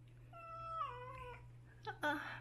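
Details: Domestic cat, one of a family of eight adopted former stray cats, meowing at home in summer: a drawn-out meow that holds steady then bends downward, followed by a short second cry, over a steady low electrical hum.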